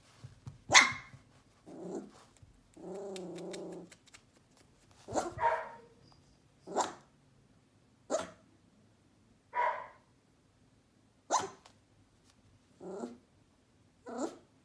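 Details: Sheepadoodle puppy at one month old barking repeatedly, sharp high barks about every one and a half seconds, with a drawn-out low growling whine early on.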